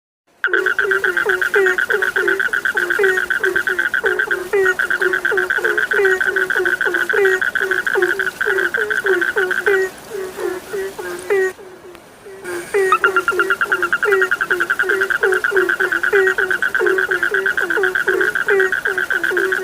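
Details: Frog chorus lulling sleep: a steady stream of short, repeated low croaks about twice a second under a continuous higher ringing trill, with a brief drop near twelve seconds before the chorus resumes.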